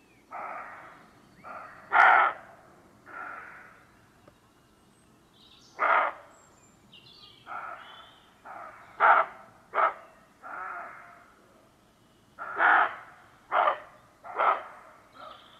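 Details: Several roe deer, more than the recordist expected, trade short, rasping territorial barks just before dusk, some loud and close, others fainter and farther off, spaced unevenly. The recordist had crept quietly into their area, and the recording is mono. Not alarm barks.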